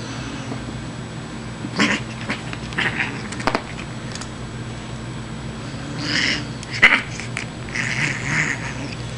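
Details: Playful female Siamese cat vocalizing during play with a kitty tickler: scattered short, breathy, hissy bursts and brief wavering calls, a louder cluster about two-thirds through.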